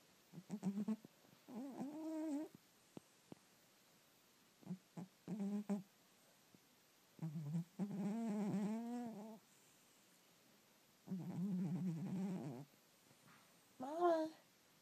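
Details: Sleeping domestic cat snoring loudly indoors. Soft, raspy snores come in irregular bursts with short breathy clicks between them, some lasting over a second, in a quiet room.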